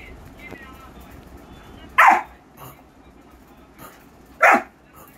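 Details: German Shepherd, from a set of puppy scenes: two short, loud, harsh barks about two and a half seconds apart, each a single sharp burst, over a low murmur of background noise.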